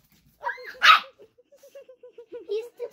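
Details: Pet dog barking at a young child at home, recorded 21 December 2021: a whine-like rising tone, then one sharp bark, followed by a steady pulsing mid-pitched drone with faint voices.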